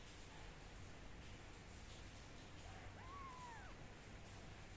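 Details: During drying with a dry towel and a soft hair dryer, a kitten lets out a single short arched meow, rising then falling, partly masked by a constant low rumbling blow.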